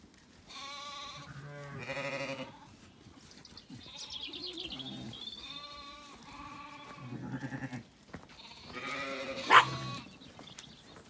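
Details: A lamb calling and a ewe answering as Zwartbles sheep settle for the night at sunset after feeding on an Irish farm in County Kilkenny. Several rich, quavering bleats come in short bursts, with a thin whistled birdsong in the middle.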